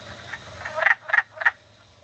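Wood frog giving short, raspy, clucking croaks, several in quick succession.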